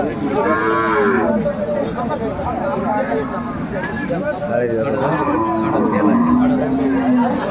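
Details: Market cattle, cows with calves at Aftabganj haat, Dinajpur, 14 December 2024, low over a busy crowd: a rich moo opens, followed later by a falling, drawn-out second low, with people talking throughout.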